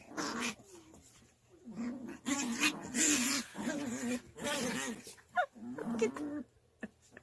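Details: Puppy sisters wrestling in a mock fight, trading low throaty growls with a few high whimpering whines between bursts, a human voice faintly present.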